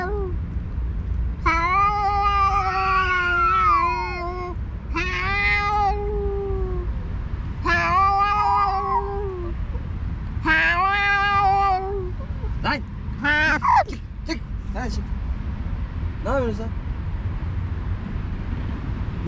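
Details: Two alpha stray cats, leaders of rival cat groups on a cat island, face off vocally while the other cats eat a feast: long, wavering, harmonic yowls drawn out over several seconds, repeated in four bouts, then brief sharp ticks and clatters.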